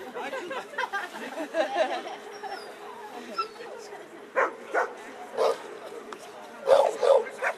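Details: American Staffordshire Terrier, 11 years old, performing in a German protection dog exhibition; an announcer talks first, then a burst of six quick barks follows in close succession over a low humming background.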